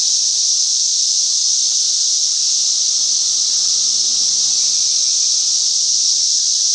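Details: Cicadas during a great cicada invasion in a Chicagoland back yard: a loud, unbroken, hissing buzz that stays high and steady throughout, with no pauses or pulses.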